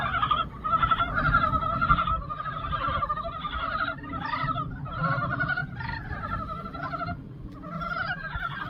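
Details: Spring pond chorus of many frogs, a steady mass of pulsed, rattling croaks repeated roughly every half second to second, overlapping continuously above a low background hum.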